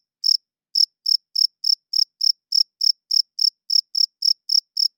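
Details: Night chirps from a male cricket, whose wing-rubbing attracts females and establishes territory; after a brief pause, sharp high chirps settle into a regular run of about three or four per second, nothing else audible.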